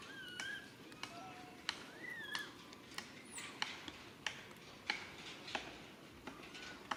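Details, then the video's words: Baby monkey Rain calling to mother Rany for help: thin whistled cries, some sliding up and falling away, scattered through steady rhythmic knocking or chopping sounds about every second, with a brief high squeal midway. "Po-or baby monkey RAIN calling mom RANY to helps but can't."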